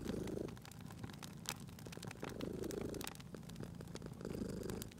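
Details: Sleeping cat by a cozy fireplace in spring, purring with a rough low rumble that swells three times in quick succession, roughly every two seconds, beneath scattered sharp crackles of the burning fire.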